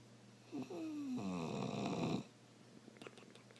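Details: Moose the bulldog snoring and making a strange noise: a short snort, then a drawn-out whiny tone sliding downward and blending into a harsh rattling snore about a second long, then faint snuffles and a low hum.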